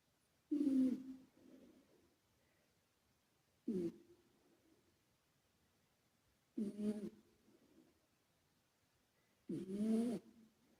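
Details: A sleeping male British Shorthair named Karumo, a former rescue cat, snores under an added echo effect. Four low, raspy snorts come roughly every three seconds, each followed by a softer reverberating tail.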